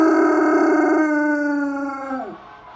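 A German Shepherd gives a sustained, tonal howl that holds steady, then slides down and fades out.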